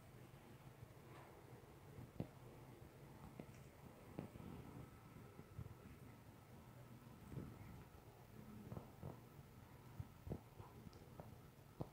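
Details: Only a quiet low hum with scattered soft clicks and rustles is heard, with no animal calls.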